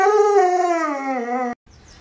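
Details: Luoluo, a pet Alaskan Malamute, reacts to its owner lying sick in bed with a sustained howl of about one and a half seconds. The smooth tone glides slowly downward and carries rich harmonics, then stops abruptly into near silence.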